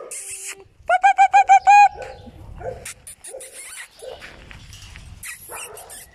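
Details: Squeals from Singer's eight-week-old puppies: five loud, clear, tonal yelps in rapid succession over about one second, then softer scattered squeaks and shuffling noises.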